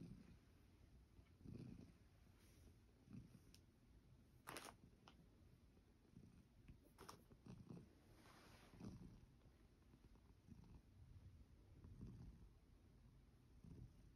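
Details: Sacchan, a male rescued cat, settles onto an oval bed to sleep after a walk, paws wiped and coat brushed. Soft low purring rises and falls in steady pulses about every second and a half, broken by a few sharp clicks.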